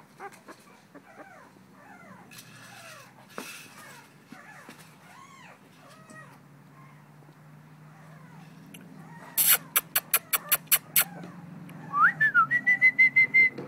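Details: Faint, arched whines come from Syrena, a female blue-nosed American Pit Bull Terrier puppy aged two weeks, filmed 21 December 2011. They are followed by a burst of sharp clicks and a sustained high squeal near the end.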